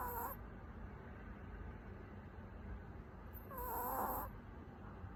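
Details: Napping puppy Haetbani snores through an afternoon nap. A faint whistle trails off at the start, then a longer, louder wheezy squeak rises and wavers for nearly a second before quiet low hum returns.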